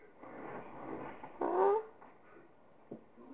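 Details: Tiger, a female pet cat, lets out a single brief meow of about half a second with a slight rise and fall, indoors amid a woman's gentle talking asking whether she will talk today.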